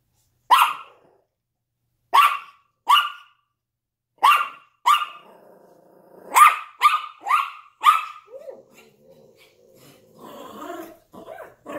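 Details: Yorkshire Terrier barking at a window alongside a Lhasa Apso; sharp, high yappy barks come singly and in pairs, then a quick run of five, followed by softer low whining and grumbling sounds near the end.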